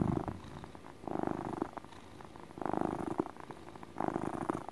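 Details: Domestic cat purring in a relaxed motor purr, a rumbling vibration swelling in soft bursts about every 1.5 seconds, quieter steady purring between the louder phases, indoors.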